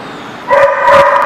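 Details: A dog recorded on 25 August 2017 gives a single loud, harmonic bark-like call that starts abruptly after half a second of quiet and holds steady for under a second, with nothing else heard.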